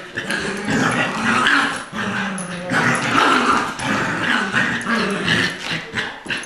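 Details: Two-year-old adopted Lab mix and six-week-old Golden Retriever puppy playing tug of war indoors: continuous rough, rasping play growls with short pulsing bursts and scuffling throughout.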